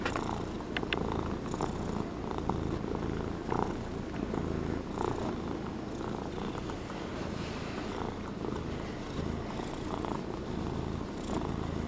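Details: A fluffy Norwegian Forest Cat in a relaxed purring mood purrs steadily, a low rumbling drone pulsing with each breath.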